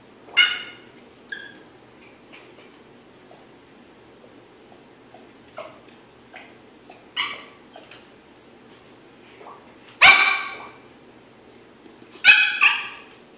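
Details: Yorkshire Terrier behind a baby gate, frantic to reach the Pitbull sister in the family home in Maryland; sharp high yips and short barks come in scattered bursts, a few louder ones near the end, with faint whines between.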